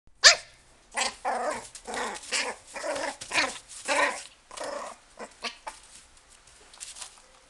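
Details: Toy Poodle in a pet shop, giving a rapid run of short, sharp yappy barks for about four seconds, then fainter scattered yips trailing off.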